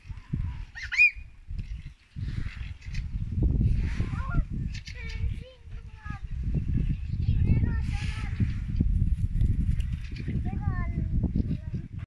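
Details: A Siberian Husky 'talks' in bent, yodelling whines and yowls that rise and fall over a low rumble, seemingly one of several female huskies arguing.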